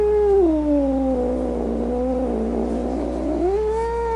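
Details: Angry domestic cat letting out one long, sagging yowl that dips low and wavers, then climbs back up at the end, continuous throughout.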